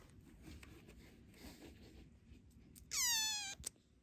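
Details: Youngest foster kitten, a rescued kitten, confronting its older sister kitten: after quiet rustling, one high, bright meow of about half a second that holds steady and then dips slightly, followed by a soft tap.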